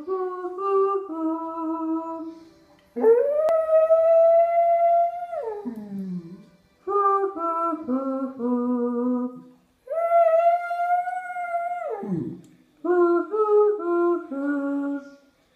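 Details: Dog howling in long drawn-out tones, some held steady then sliding down at the end, others stepping between pitches, in five bouts separated by short pauses.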